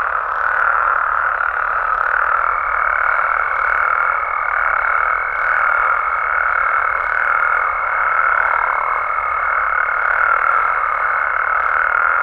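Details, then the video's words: Nighttime chorus of Mexican frogs and toads in the wild, a thick wall of overlapping rasping calls. From about two seconds in, a thin steady whistle-like tone runs above the chorus until the end. "Mexican Frogs & Toads Sounds"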